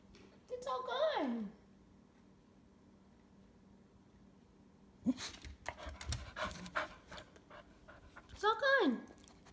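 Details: A pet cocker spaniel indoors gives a sliding, downward whine, then pants and shuffles under a person's speech, ending with another loud falling whine.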